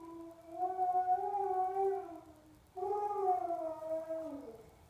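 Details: Yorkiepoo reacting to dog bark and whine sound effects, giving two long, tonal, wavering howls, each about two seconds, the second falling at the end, in a quiet indoor room.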